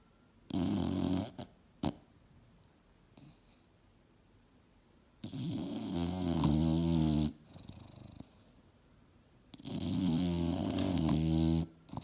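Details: Mildred, a female English Bulldog, asleep and dreaming hard on a couch indoors. Three loud, rasping snores with a low harmonic rumble arrive in drawn-out bursts, separated by quiet pauses of several seconds.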